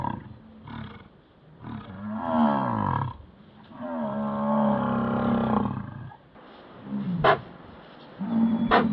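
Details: American bison (Bison bison) in Yellowstone bellow during the rut, with deep, drawn-out roars lasting a couple of seconds each.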